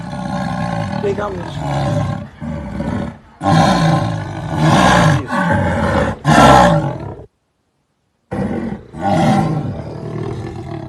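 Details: Jaguar roaring in a series of loud, harsh, rasping grunts, each about half a second to a second long, repeated with short pauses, with deep rumbling undertones, then a sudden second of silence before more grunts.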